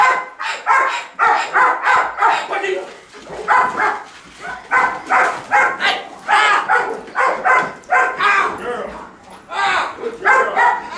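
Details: Belgian Malinois female in bite and grip training, working on barking on command to intimidate rather than fixating on a threat; a long run of rapid, rough barks in bursts, with a human voice mixed in.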